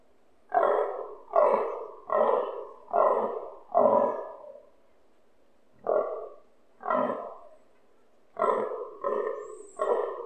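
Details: Rutting fallow deer stag calling close to a balcony, its voice shaking the windows; a rapid run of five hoarse grunts, a pause, then single and clustered groans, ten harsh bursts in all.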